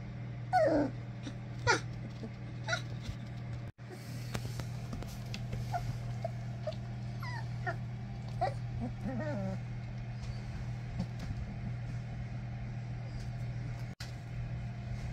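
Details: English Springer Spaniel puppies from Ruby Todd's first litter at Bigfoot's kennel; thin, high whimpers and yips sliding up and down in pitch, in bursts through the first ten seconds, then fading, over a steady low electrical hum.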